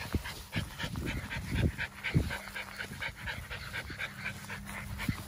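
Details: Merle American Bully puppy breathing hard in fast, irregular breathy pants, roughly two each second. A few louder low thumps and a steady low tone sit underneath.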